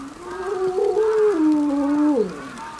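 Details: Captive timber wolf, an eleven-year-old mother, howls in starting snowfall at Maruyama Zoo, Sapporo, December 2011, after hearing a far-off ambulance siren while packmates stay silent; a single sustained tone stepping up, then down, and dropping at the close.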